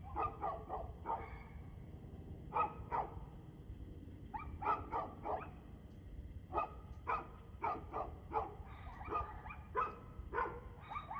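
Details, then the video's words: Evening barking from a dog, 2/6/2024 at 6:02 pm: a long run of repeated abrupt barks, often in pairs or triplets, keeping up a brisk rhythm throughout against a faint low drone. "Barking Dog"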